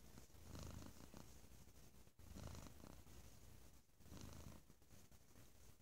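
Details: Loud purring from a domestic cat, low buzzing rumble rising and falling in rhythmic waves about every one and a half seconds, with a brief break near the middle.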